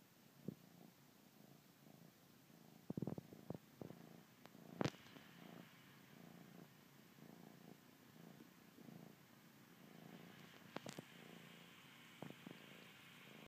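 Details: Bengal kitten nursing on his blanket, purring softly beneath louder sharp clicks and sucking noises, the low rumble continuing unevenly throughout.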